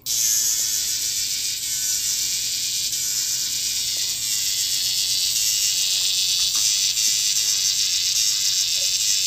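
A cicada gives a loud, continuous, high-pitched buzz that holds steady throughout.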